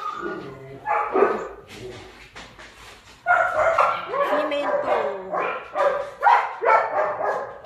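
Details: Kennel-kept German Shepherd puppies at Zondiram Kennel yapping and squealing, quick irregular high-pitched yips about twice a second with bending whines threaded through, growing louder and busier after the first few seconds.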